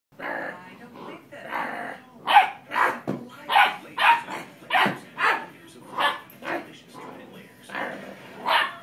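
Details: Dobermann puppy playing with a person: a run of short, rough barks and growly yelps about every half second, mixed with human speech.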